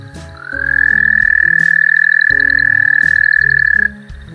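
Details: An adult Canadian toad gives a steady, shrill trill held for about three and a half seconds, an amphibian call of wetlands in the Calgary area.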